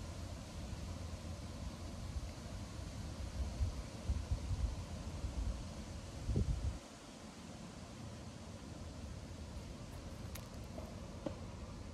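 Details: Low outdoor rumble of wind and distant traffic, with a brief louder rustle before seven seconds and a few faint ticks near the end.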